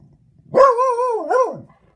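A dog lets out one long, voiced bark, more drawn-out than a sharp woof. The tone holds fairly steady, wavers, dips and rises again near the end, then trails off into quiet.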